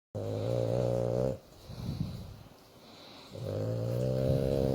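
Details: A female French Bulldog sleeps while being stroked, snoring and grunting with happiness in long, low, rattling breaths, with a quieter pause between them.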